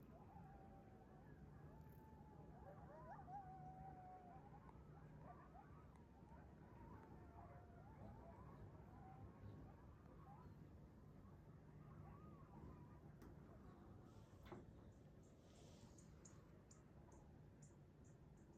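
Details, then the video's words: A pack of coyotes running through a neighborhood in the morning, giving faint, wavering high howls and yips that rise and fall in overlapping strands, over a steady low background rumble. "The sound of Coyotes waking up and on the move this morning"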